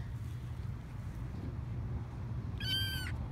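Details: Four-week-old foster kitten outdoors on grass for the first time, not liking it; a single high, thin meow near the end, slightly falling, over steady low background rumble.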